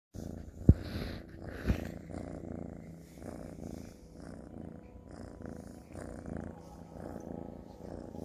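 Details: Sir Salmon, a ginger kitten, purring steadily indoors; a low continuous rumbling purr pulses in even waves throughout, with two sharp clicks early on and a person murmuring softly nearby.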